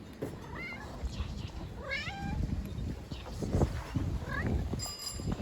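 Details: Stray street cats being fed outdoors give several short harmonic meows, some rising then falling, scattered among eating noises, rustling and a person's Turkish speech nearby.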